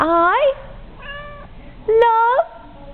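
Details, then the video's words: Domestic cat imitating its owner saying I love you: a rising, bending meow opens, the owner's short spoken phrase follows, then a second upward-sweeping meow answers. "Cat repeating after me"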